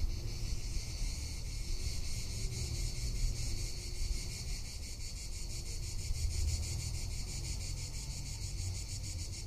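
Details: Cicadas calling in summer in Tuscany: a steady, high, shimmering buzz with fine rapid pulsing, sustained without a break, over a low rumble of wind and a faint lower hum.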